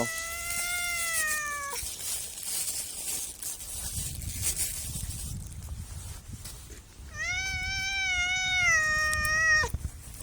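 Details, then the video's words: Two long, steady cat meows, one at the start and one near the end, separated by several seconds of hissing background noise and low rumble. "MEOWING MEOWING - CAT CUTES - CAT FUNNY - SOUND CAT - MEOW CAT 01"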